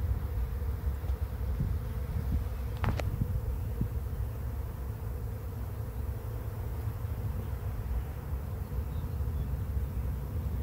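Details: Bees in a swarm moving into a swarm trap, making a dense, even low hum that holds for the whole stretch, with a few brief taps partway through.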